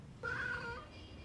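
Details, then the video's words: A domestic cat, one of the Somali and Bengal cats shown, gives one clear meow lasting about half a second. It holds a steady mid pitch and dips slightly at the end. A low background hum runs underneath. "猫の鳴き声 ソマリ 〜ベンガル"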